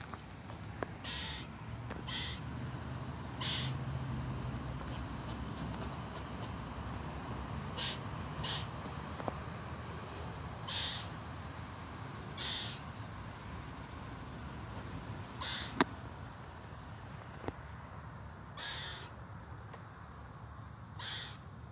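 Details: On 14 July 2023, an eastern gray squirrel gives harsh, raspy alarm barks in irregular bursts over a low background rumble.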